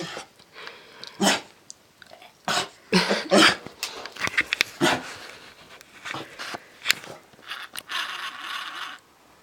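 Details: Lady, a lemon beagle, vocal indoors about having to put up with her fellow dogs: short rough barks and huffing snorts in uneven bursts, some closely paired, with quieter breathy noises between them in a small room.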